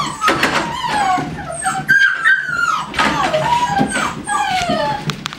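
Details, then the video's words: Whimpering American Staffordshire Terrier at a kennel: a steady stream of thin, wavering whines that rise and fall, interrupted by sharp short yips, all close and continuous. "Стаффордширский терьер . Бандиты)"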